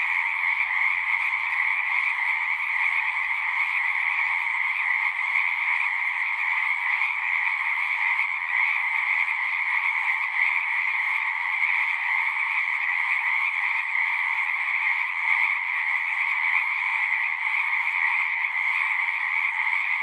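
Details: Many frogs singing at a pond in a horse pasture, taken with a Zoom recorder; a continuous, shimmering buzz of overlapping croaks holds steady throughout, with a few soft low thumps early on.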